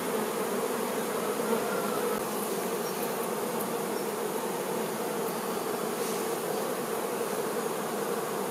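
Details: Worker honey bees attending the queen bee: a continuous, crowded buzzing drone that stays level for the whole stretch, with a few faint clicks high above.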